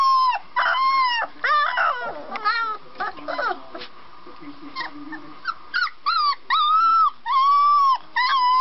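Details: Puppies barking in a funny compilation: high-pitched, harmonic yelps that rise and then fall, in bursts of a second or longer with short gaps. Some calls are drawn out like small howls, with lower whining between them.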